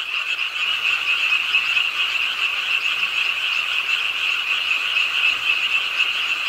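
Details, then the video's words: Late-night frog chorus at a rainy city park pond, Ingye Art Park in Suwon; numerous overlapping frogs produce a constant, rasping high trill with gentle rises and dips in volume. "비오는 밤 개구리소리, Do you hear the frogs? 비오는 밤 공원 연못 추억의 개구리 소리, Frog Sounds, 빗소리와 함께 듣는 개구리 우는 소리"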